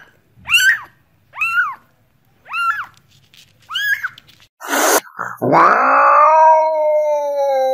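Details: Domestic cat giving four short, arched meows spaced about a second apart, each rising then falling in pitch, followed by a louder, long drawn-out cry that holds steady and slowly sinks.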